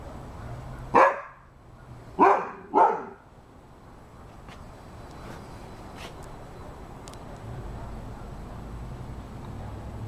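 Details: Rhodesian Ridgeback dog barking: one loud, harsh bark, then a quick pair of barks about a second later, followed by several seconds of quiet with a faint low background hum.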